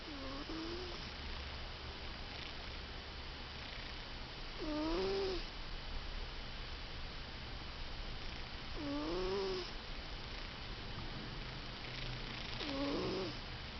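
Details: Sleeping cat snoring indoors: soft nasal snores, one roughly every four seconds, each a short low wavering rasp over a steady faint hiss.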